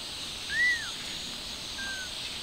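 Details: Stray mother cat moving her kitten outdoors, one clear arched mew rising and falling, then a fainter flat cry a second later, against constant outdoor hiss.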